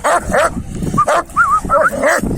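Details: Kangal males after a female dog give high, wavering whines that rise and fall, mixed with quick yelping barks in a dense two-and-a-half-second burst.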